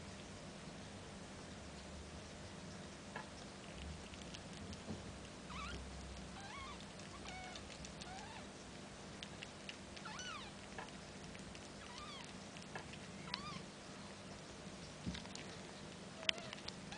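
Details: One-week-old Snow Bengal kittens giving thin, high mews, each briefly rising then falling in pitch. The cries come in scattered clusters of two or three, with several in the middle stretch, over constant soft rustling and pattering.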